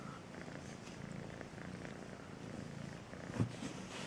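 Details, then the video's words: Kitten called Melissa purring sweetly, a continuous low throaty rumble with even pulses, quiet and close, with one short knock near the end. "El gatito con el nombre Melissa dulce ronronea"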